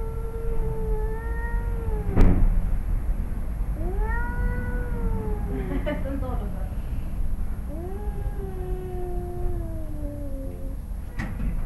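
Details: Two male cats, a father and his son, growl at each other in a yard in Arequipa, Peru, just before a fight. Three long, drawn-out wavering yowls, each swelling and sagging, with a sharp knock near the second second and low rumbling background.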